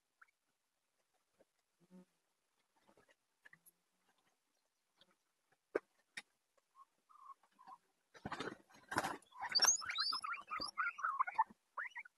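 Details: Guinea pigs kept together indoors in a house full of them; after quiet scattered rustling, a burst of high, rising and falling squeals and chirps builds and repeats quickly over the final four seconds.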